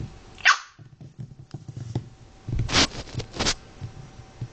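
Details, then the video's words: One sharp high yelp opens, followed after a pause by two harsher bark-like bursts, from a litter of Chinese Crested, Pekingese and Fox Terrier mixbreed puppies born to Lilly; soft low rumbling continues throughout. "Lillys Puppies"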